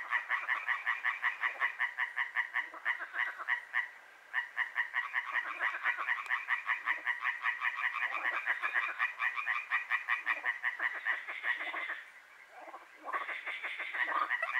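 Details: Frogs croaking at night in Hłomcza, Sanok commune, Poland, in a chorus running from moonrise to moonset: a dense, rapid rattle of overlapping pulsed croaks, briefly dropping out twice before resuming loudly.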